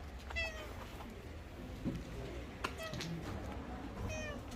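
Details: Korean shorthair street cat on the Gyeongchun Line Forest Path in Gongneung-dong, Korea, on an autumn day. It gives three short, high, tonal meows spread across the clip over steady outdoor background noise with some clatter.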